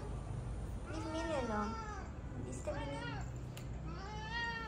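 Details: Mocha, a pet cat said to turn into fighting mode whenever he sees other cats, gives three drawn-out, wavering meows, the first long and falling, the later ones rising then dipping, over a low steady hum.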